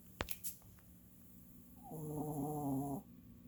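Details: Sleeping old dog giving one rough, buzzing snore about a second long, preceded by a few faint clicks in an otherwise quiet room.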